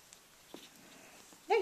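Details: Two-week-old puppy from a spring 2012 litter, indoors: after quiet soft taps, one short, loud, tonal whimper with a slight downward bend closes the recording.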